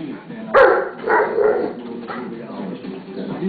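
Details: Bonnie the Pit Bull telling Zeus, a mastiff pup, to behave. Three loud, sharp barks come in the first second and a half, then quieter voice-like sounds, with people talking and music underneath.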